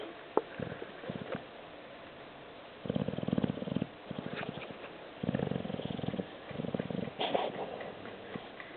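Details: A pet dog asleep indoors, snoring again: soft, breathy rumbling snores in rhythmic bursts about a second long, separated by short quiet gaps, recorded at low volume with faint room noise.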